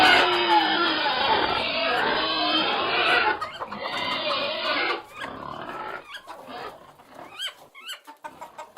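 Pigs in a sty give loud, harsh squeals and grunts that fade into scattered short snorts.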